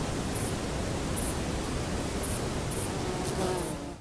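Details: A male saddle-backed bush cricket in a sunlit forest in Poland in September gives short, high, scratchy chirps roughly once a second over low rumble, with other individuals of the species calling in the background.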